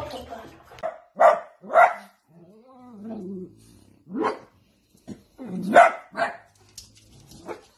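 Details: Dachshund, or sausage dog, giving loud single barks at intervals, with a soft rising-and-falling whine in between, then a pair of sharp barks near the end; quiet pauses separate the calls.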